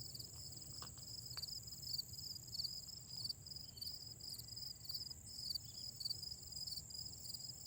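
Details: Grass insects in autumn, a steady high shimmering chorus with layered continuous trills and rapid pulsed chirps repeating over the drone, faint low rumble and a few soft knocks beneath.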